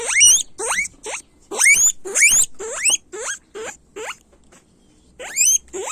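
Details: Loud guinea pig squeals, a series of shrill upward-sweeping whistles about twice per second, some longer and stronger, with a short quiet pause before the last few calls.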